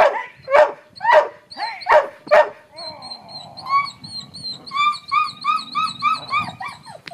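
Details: Nine-and-a-half-year-old female Border Collie, retired from agility, at protection training: four hard, ringing barks, then a run of high, wavering tonal cries repeated rapidly for several seconds over low background rumble.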